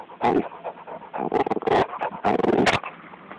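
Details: Bulldog going after a snake: three loud, rough bursts of growling and snarling barks in quick succession, harsh and breathy, with brief pauses between them.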